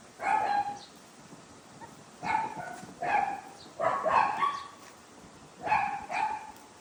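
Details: Poodle puppy trying to get out of a box, yapping in high, sharp barks, singly and in quick pairs, about six barks over seven seconds with quiet pauses between.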